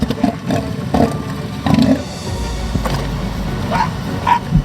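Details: Southern elephant seal bulls in the breeding season use their inflatable proboscis to give deep, pulsing, drum-like threat calls that warn rivals and scare off weaker males, over soft background music.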